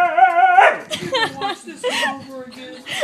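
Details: Siberian Husky complaining while fighting another dog over chewy chips; long harmonic howl-like whine held near half a second, then a run of yodelling, talkative yowls rising and falling, with a person speaking and music nearby.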